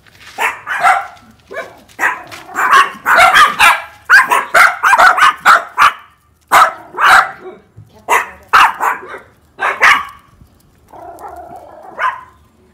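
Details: Dogs barking one after another as a second dog joins the first; sharp, loud barks come in quick runs, sometimes several per second, with short pauses. A lower, rougher bark closes the sequence.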